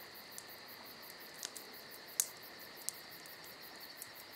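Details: Night crickets in summer give an unbroken piercing chirr with quick rhythmic pulsing overhead, interrupted by a few sharp pops and one bright crack from a crackling fire.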